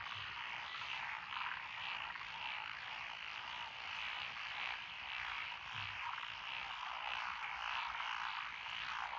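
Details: Frogs in lotus rice paddies of Echizen, Fukui, Japan, June 12, 2021, including Japanese tree frogs, black-spotted pond frogs, wrinkled frogs, Schlegel's and forest green tree frogs; rhythmic chattering croaks, nearly two bursts a second, over a constant chorus.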